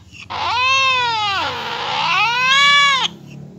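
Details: Cat reacting to the sound of a cat fight, giving a long wailing yowl that sags in pitch midway and climbs back up, strongly harmonic and steady in loudness, ending abruptly.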